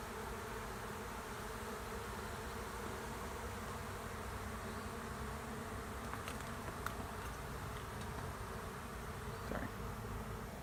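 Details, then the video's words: Many honey bees of a swarm taking over an empty hive in a driveway, their steady, low, even hum filling the air, with a few faint ticks and taps later on. "Honey bee swarm moves into an empty hive"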